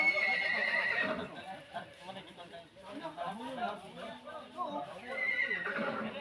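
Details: Horses fighting, with a shrill descending whinny at the start and another near the end, over lower grunting and squealing sounds and people talking in the background.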